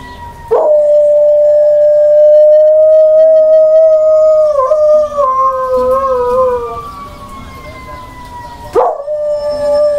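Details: Female dog Sasha howling with fire truck sirens: a long level howl of about six seconds that wobbles and sags near its close, then a fresh howl starts at the end over a quiet background hum.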